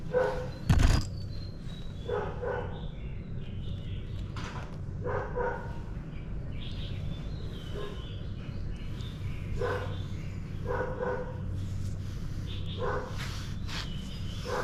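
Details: Morning barking from dogs, fairly distant and faint: scattered single and paired barks spread through the stretch, with a sharp knock early on and a constant low rumble beneath.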